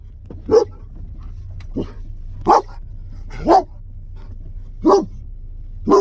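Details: German Shepherd giving aggressive barks meant to scare people in the street; six sharp barks of varying strength, roughly one per second, with a fainter bark in between.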